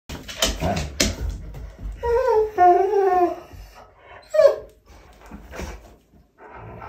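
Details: Walle, a German Shorthaired Pointer, whines while complaining during tug play with his toy, a wavering high nasal whine around two seconds, with short clatters and bumps before and a brief rising whimper after.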